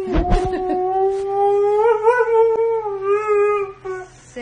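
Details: Siberian Husky indoors giving one long, steady, howl-like note that wavers slightly in pitch for about three and a half seconds, with brief clatter at the start.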